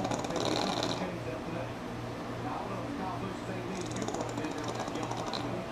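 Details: Sleeping pug Sammi, NASCAR on in the room, lets out two buzzy, fluttering snores near the start and end, separated by a quieter pause filled with television chatter.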